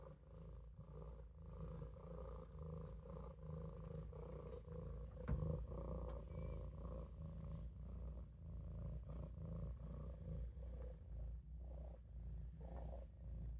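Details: Sustained deep purring from Olof, a Maine Coon kitten taking a nap in the sink, an even, continuous rumble with gentle rhythmic pulses and a faint tap midway.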